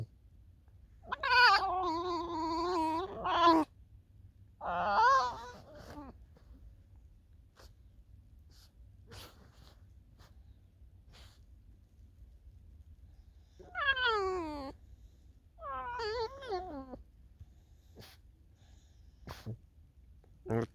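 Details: Alice the fox, kept by a person and walking in falling snow toward a field, utters four bouts of wavering, whining, harmonic calls in two pairs, with long quiet gaps between them.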